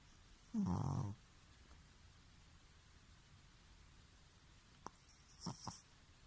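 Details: Bobo the rescued Pekingese snoring indoors: a single low, rough, buzzing snore lasting about half a second, followed by quiet room tone and a few faint clicks and taps.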